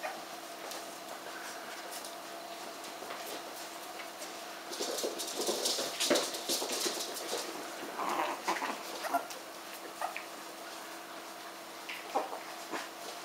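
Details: Norwich terrier puppies giving many quick, thin whimpers and squeaky yips, clustered most densely in the middle, over a steady low hum and soft rustling.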